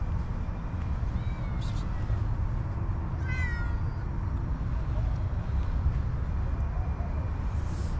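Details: Hungry homeless cats and kittens looking for food in garbage; two short high meows, one faint early and one brighter near the middle, against heavy low traffic rumble and street noise.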